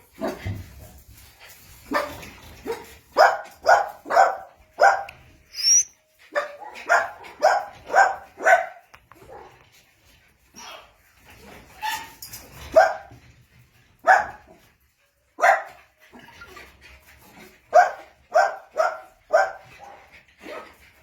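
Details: Playing Jack Russell Terrier puppies give bright, high yappy barks in quick runs of three to five, pausing between bursts, with soft scuffling underneath.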